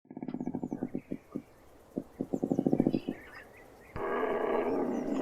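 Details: Cougar growling: a fast train of low pulsed grunts, two bursts of rhythmic throbbing pulses, then a harsh, broad, hissing snarl held to the end.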